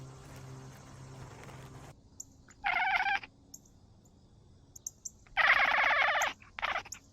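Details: Domestic cat recorded on an Insta360 GO 3S camera, giving two loud drawn-out meows, the first brief and the second longer and stronger, separated by a quiet pause with faint background ticks.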